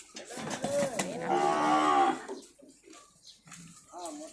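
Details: Calves from a batch of seventeen being delivered in Phayao province, Thailand: a drawn-out, steady moo lasting about a second amid handling noise and short bleating calls, with a woman talking nearby.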